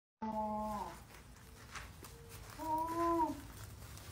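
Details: Llama reacting to a woman wearing a llama mask; two short nasal humming calls, the first flat and the second slightly arched, separated by a quiet pause of about two seconds, with faint room noise.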